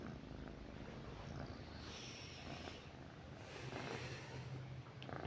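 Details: A domestic cat lying in bed with its owner at night purrs in a low, even drone, faint beneath a hissy background with some rustling.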